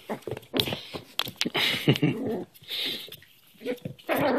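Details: Young Cairn Terrier hand wrestling indoors in play; brief throaty growls mixed with snorts and whiny squeaks, uneven bursts, scuffling noise throughout.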